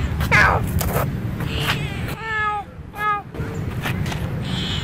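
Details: Bopha, a female cat in Siem Reap, Cambodia, follows the camera while walking and utters two short, clear meows close together midway through, over constant low rumbling background noise and brief other sounds.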